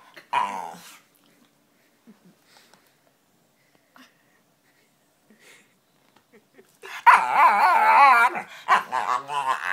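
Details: Female pet dog making funny noises with odd faces; a short harmonic whine-like burst at the start, a long quiet stretch, then a loud wavering, growly moaning vocalization with shifting pitch over the last three seconds.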